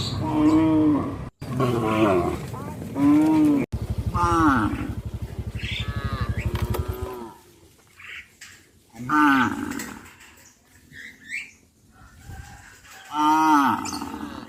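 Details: Herd of cows walking to graze in a settlement, several overlapping harmonic moos, some long and drawn out, others short and rising, with a deep buzzy bellow in the middle and quieter calls later.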